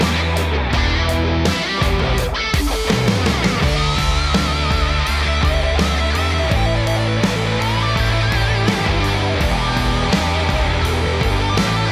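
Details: Loud heavy rock music with driving guitar and drums fills the recording throughout.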